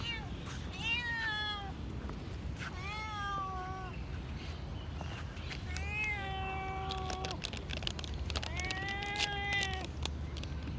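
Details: Blue-eyed domestic cat giving four drawn-out meows about two to three seconds apart, each clear and harmonic-rich, with pitch sliding slightly downward and the later calls longer, over a steady low background rumble.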